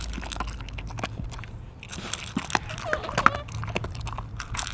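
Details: Mungchi, a pet dog, eats indoors: a steady run of crunching bites and wet chewing clicks, irregular and close, with a faint voice in the background.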